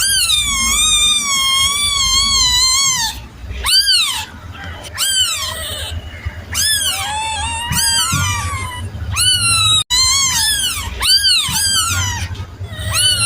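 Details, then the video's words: Kitten mewing insistently, opening with a long quavering meow, then a rapid series of short, sharply arched cries in quick succession, with steady low-frequency hum behind. "Suara anak kucing"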